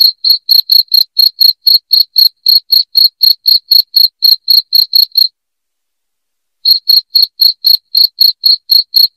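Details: Cricket chirping played as a rat deterrent: a fast, regular run of piercing pulses, about four each second, stops abruptly for roughly a second and a half of total silence, then picks up again at the same pace.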